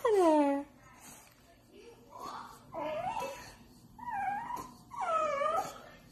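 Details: French bulldog begging for Chinese food indoors: a loud falling whine opens, then softer wavering moans and rising-falling whimpers come in short bursts about a second apart, with faint room noise between.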